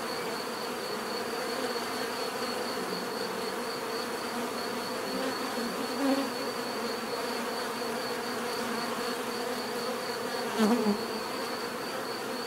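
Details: Many bees humming in a steady, dense drone with a deep buzzing core, a few louder passes of single bees near six and eleven seconds, and a faint, even, pulsing high tone running throughout.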